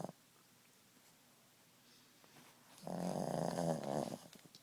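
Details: Ziggie, a Boston Terrier napping indoors, gives one loud, rattling snore of over a second after a long quiet stretch, the breath fading with a soft snuffle.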